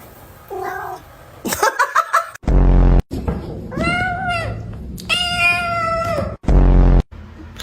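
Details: Pet cat giving two drawn-out, slightly wavering meows while its owner talks to it and asks it to say mama; sharp clicks and loud abrupt noise bursts come between the calls.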